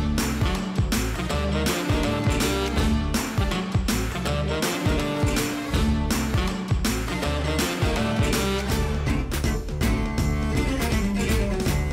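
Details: Loud rhythmic instrumental music with guitar and a steady beat fills the whole stretch, with no animal voice.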